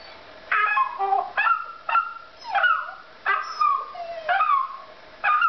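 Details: Indoors, a puppy answers a child's pretend crying with short, sharp yips that drop quickly in pitch, about two a second, with brief quiet gaps between the bursts.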